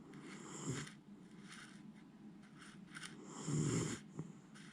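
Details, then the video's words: Sound asleep, the Miniature Schnauzer Jiji gives two rough, rasping snores about three seconds apart, with soft breathing noise in between. "ミニチュアシュナウザー(ジィジィ）、 立派ないびきで爆睡！"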